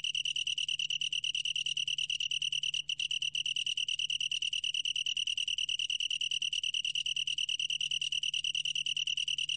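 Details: Long-tailed tree cricket singing, National Institute of Biological Resources, 2020: a shrill, rapidly throbbing trill at about ten pulses per second, with one brief hitch near the three-second mark before the steady rhythm resumes.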